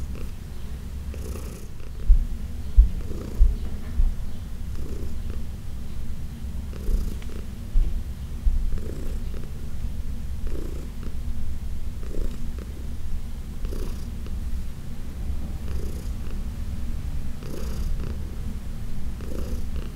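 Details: Older cat Heidi, adopted with companion Dinah from a New York City shelter, purrs deeply while being massaged in June 2021; sustained rumble with rhythmic soft pulses and a few brief knocks near the start.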